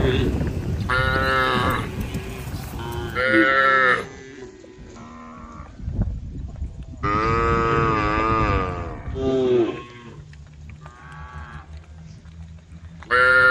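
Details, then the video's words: Tame female cows in a group on a road, calling the herd: loud, long, drawn-out moos with rich harmonics. Several overlap, roughly ten calls a minute with quieter gaps between them. "the sound of cows calling the herd"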